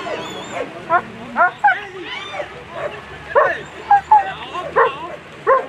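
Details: German Shepherd Elyssee v alten Gatter at a World Championship agility event, placed seventh in the final; loud sharp barks come in quick uneven bursts, some with yelping rises, over steady crowd chatter and a low hum.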